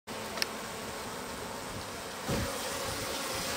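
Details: Japanese honey bees in a stacked-box hive in spring as the sliding bottom board is opened and activity picks up: a steady, diffuse buzzing hum throughout, a sharp click early on and a louder rustling surge partway through.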